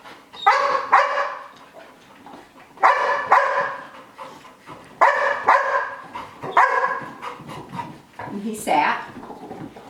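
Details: Sky, a dog, barks from FOMO (fear of missing out) and anxiety while another dog, Gem, practises games and tricks indoors. Loud, sharp barks come in bunched bursts every couple of seconds, with a person talking between them.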